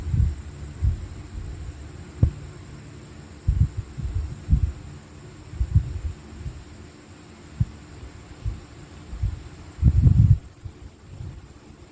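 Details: Low, dull thumps and a steady hum, with no animal voice.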